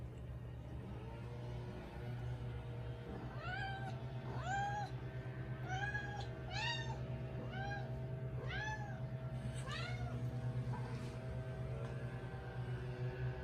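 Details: Female Siberian cat, five years old, a house cat in Canada, talking a lot: a run of about ten rising-falling harmonic meows, each under a second, spaced roughly a second apart, over a steady low indoor hum.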